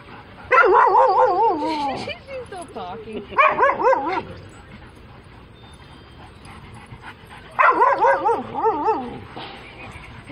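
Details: Siberian Husky female, relentless talker who yells: three loud warbling, wavering howl-like bursts with quavering pitch, separated by quieter gaps of low murmuring.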